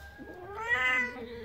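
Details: Cat in labour, a village cat about to give birth, lets out one short, bright meow that swells then slides downward in pitch, with little else heard.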